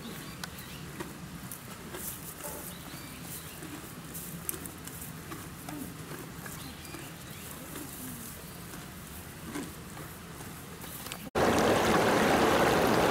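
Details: Donkey eating at Yuki Park Zoo in Kofu, Japan: steady crunchy chewing, about two soft bites per second over a quiet outdoor hum, cut off near the end by a sudden loud rush of broadband noise.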